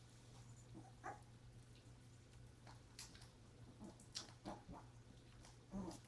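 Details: Pepper, a mother dog, with her puppies indoors, recorded January 30; faint, short high squeaks and whimpers scattered among soft clicks and rustling, over a steady low electrical hum.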